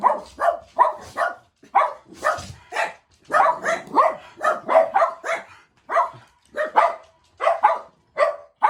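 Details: A group of four pet Jack Russell Terriers kept together at home bark while they wait eagerly for their owner's daily return. Short, high, yappy barks come almost nonstop, roughly two or three each second, with brief pauses between the clusters.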